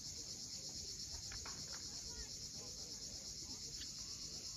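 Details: Crimean coastal cicadas at sunset near Cape Fiolent produce a steady high buzzing hiss that does not let up, with a few faint clicks audible below.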